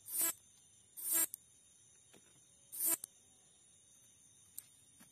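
A katydid gives short, harsh, high-pitched rasping bursts separated by irregular pauses, with faint clicks between.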